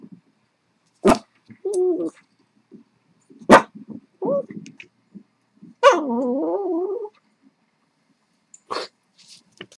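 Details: Blind Buddha, a blind female Boston Terrier, unsettled by a squeak toy played through speakers, gives short wavering whining vocalizations and one long drawn-out quavering whine, broken by sharp clicks and knocks with quiet pauses between.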